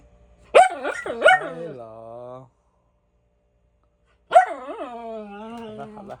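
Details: Miniature Schnauzer barking indoors for no apparent reason: two quick sharp barks, each trailing into a drawn-out whiny tone, then a pause and another bark stretching into a long, falling, vocal tail.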